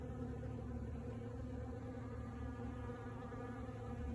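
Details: Hundreds of honey bees gathering at a sawmill as the day warmed, working cedar and maple sawdust; a steady, low droning hum with layered harmonic tones runs evenly throughout, over a faint low rumble.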